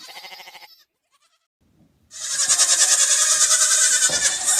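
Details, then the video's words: Farm goat giving a short wavering bleat, then a pause of about a second, followed by a loud, bright, strained bleat held for over two seconds with a rapid tremolo. "Goat Bleating Sound | What Does a Goat Really Sound Like?"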